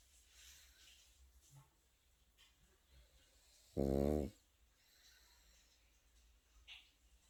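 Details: Pekingese puppy sleeping indoors lets out a single loud, low, rasping snore lasting about half a second, with faint breathing noise and near silence around it.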